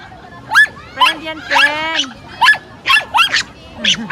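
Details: Excited Pomeranian greeting a new friend with a quick run of short high yips, a couple of longer wavering whines mixed in, roughly two sounds per second.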